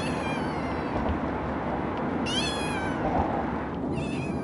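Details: Female calico kitten Scout, a shelter rescue adopted at 8 weeks, meows twice from her carrier during the drive home; two bright, wavering cries about two seconds apart against continuous vehicle rumble.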